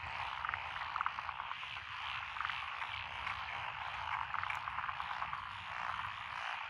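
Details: Rice paddy frogs in Echizen, Fukui, Japan, June 2021, among them Japanese tree frog, Schlegel's green tree frog and forest green tree frog; unbroken chorus of overlapping croaks with short ticking pulse bursts scattered across the recording.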